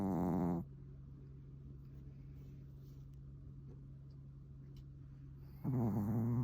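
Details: Sleeping Pomeranian Suama, fond of futons, snores like an old man: a rough, buzzy snore at the start, a long quiet gap with only a low indoor hum, then another raspy snore rising at the end.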